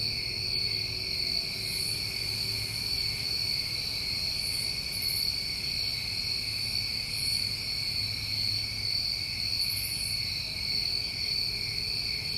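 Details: A New England summertime cricket chorus rings on without a break. Two steady high trill bands dominate, with scattered faint higher puffs of sound and a low hum underneath.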